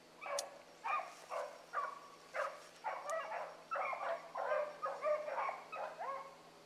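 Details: Morning rabbit run by a group of hound pups: quick, repeated bays about twice a second, several dogs overlapping, with a few sharp clicks at the start.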